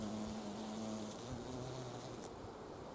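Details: Carpenter bee at wisteria blossoms collecting nectar in spring; brief low wing hum with a slight pitch drop, set against a broad hiss of background noise.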